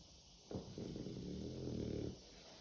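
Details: French Bulldog snoring while asleep indoors: one long, low, rough rattling breath lasting about a second and a half, with a buzzy vibrating texture, set against quiet room hiss.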